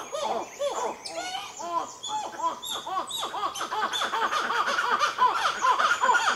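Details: Black-fronted titi monkeys, with a baby present, in Nazare Paulista, Brazil, give a fast run of looping, arched notes that rise and fall. The calls overlap, build steadily and grow louder and denser toward the end.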